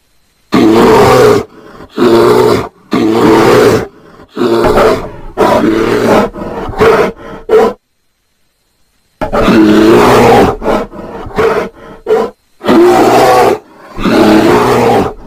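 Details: Roaring bear in the mating season: a run of coarse, growling bellows in quick succession, then a silent gap of about a second and a half before another series of loud, rasping roars.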